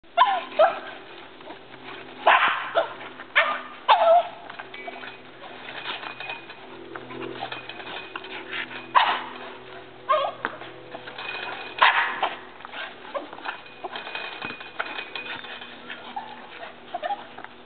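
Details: Labrador Retriever Jena and Boston Terrier Franklin playing tetherball, a few sharp barks and yips scattered between long stretches of scuffling, rattling play noise, with louder bursts near the start and middle.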